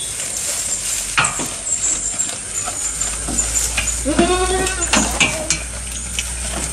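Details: Goat recorded close up while eating: rapid, irregular crunching and tearing clicks of chewing run throughout, with a short wavering bleat near the middle and a steady high hiss in the background.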